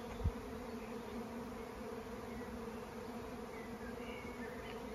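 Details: First honeybee swarm of the season, seen before the first of May on a regenerative farm in County Kilkenny, Ireland: a steady, low droning hum throughout, a soft thump near the start and faint bird chirps behind.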